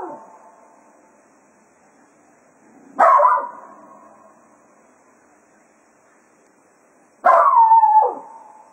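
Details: Jack Russell Terrier Cato bidding the hounds farewell after a foxhunt at Quail Roost. A fading cry opens, then two sharp, wailing bark-howls follow about four seconds apart, the second longer and sliding downward.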